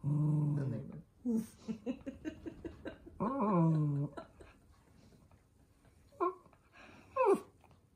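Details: Minato, a pet toy poodle, angry indoors at having socks put on: drawn-out harmonic growls with short yelping bursts in between, a longer grumble near the middle, and a person speaking softly in a small room.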